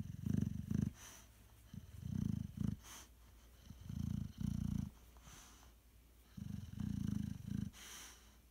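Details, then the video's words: A sleeping Boxer, legs running in a dream, snores in low throaty rumbles. The bursts come in clusters of two or three, separated by quiet pauses of about a second. "Snoring boxer"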